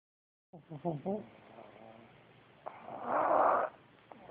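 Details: Pugs snoring on a bitter cold day after the December 2010 blizzard in Minneapolis: a few short, throaty snorts, then a long, raspy, rattling breath.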